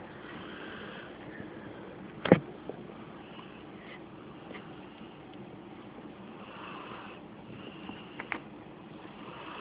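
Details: Sleeping female Rottweiler/Pit Bull mix named Reilly, mouth slightly open, captured on a phone: breathy, rasping snore swells recur about every three seconds, with one sharp click early and a constant low background hum.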